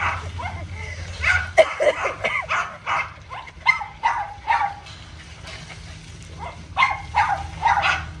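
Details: Small dog during playtime, with the dogs Simba and Mayo; one plays with a hose. Irregular bursts of high, squeaky harmonic yips and whines, with a low rumbling hum in the first second and a half.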